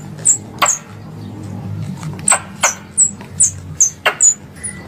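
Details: Squirrel call used as hunting lure in Indonesia: scattered high, piercing downslurred chips with occasional sharp clicks, a pause near the start, then a quicker cluster toward the end over low rumbling noise.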